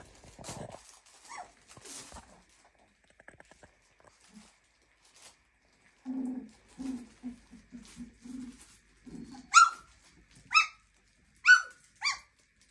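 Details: Clumber Spaniel puppies, 23 days old, indoors, giving soft low grunting murmurs in a quick series, then four loud, sharp, high yelping whines about one second apart, against a quiet background.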